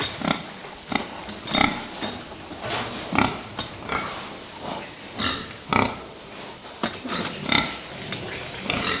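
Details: Grunting and squealing from a group of fattening pigs in Czech housing, many short broadband bursts in quick irregular succession amid steady barn clatter.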